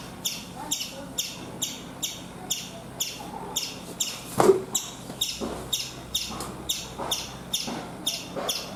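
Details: Chipmunk on a coconut tree in India giving a steady series of sharp, high chirps, roughly one every 0.6 seconds, each a bright clipped note; one dull knock partway through and a faint low hum behind.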